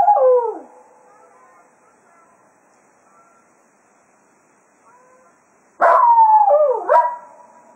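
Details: Jack Russell Terrier Cato serenades the hounds at the close of a foxhunting day at Quail Roost: the tail of one falling howl, several seconds of faint tones, then a loud new howl with a quavering downward bend.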